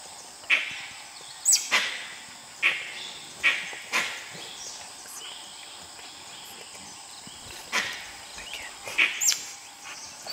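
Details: In Nagarahole National Park, dholes trying to hunt a tiger give short, abrupt yelping calls, several in fast succession, then a pause before more bursts, with a constant high background hiss.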